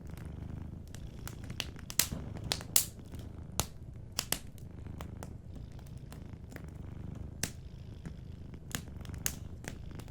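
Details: Sleeping cat with a soft, gentle purr by a warm fireplace; a steady low rumble fills the background, broken by frequent crisp crackles and pops from the burning fire.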